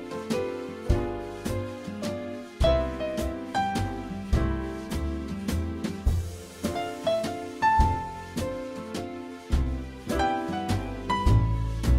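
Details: Gentle piano-led background music with steady chords and melody, no animal voices.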